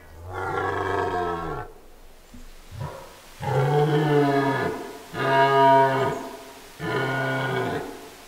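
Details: A red deer stag during the 2016 rut on Mont Lozère in the Cévennes National Park, France, bellows a series of deep, throaty roars, each about a second long.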